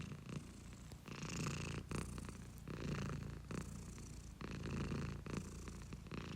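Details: Close-miked house cat purring, a low throbbing drone that swells and dips with its breathing about every second, phases separated by short soft gaps.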